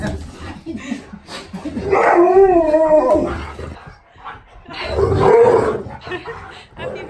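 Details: On his fifth birthday, Siberian Husky K'eyush, surprised by his best friend, lets out a wavering, warbling howl lasting about a second, then a second shorter howl-like cry, with a person speaking between them.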